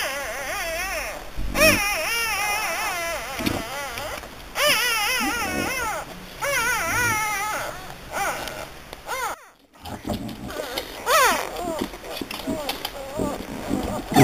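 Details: French Bulldog puppies in Hungary whine and squeal in a run of high, wavering, rising-and-falling cries, several overlapping, with short pauses and a brief quiet gap near the middle.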